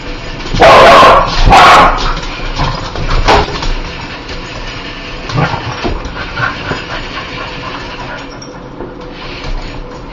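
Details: Dog known for hating spiders gives two loud, rough barks in quick succession, then softer scattered sounds follow in a fairly quiet room.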